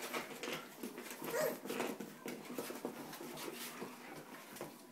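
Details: Australian Shepherd puppies, three and a half weeks old, playing indoors with their mother Hustle; a brief high whimpering squeak over a busy background of school kids playing, from a sound socialization CD.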